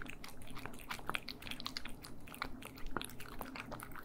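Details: Cats chewing food close to the microphone, stereo, indoors; loud crunchy bites and wet chewing in quick succession with a low hum beneath.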